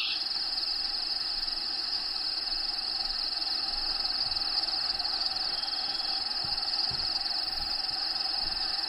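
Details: Crickets inside the vivarium of Diego, a pet bearded dragon, give an unbroken high, shrill chirring that stays level in pitch. Soft low thumps and rustling show up here and there underneath.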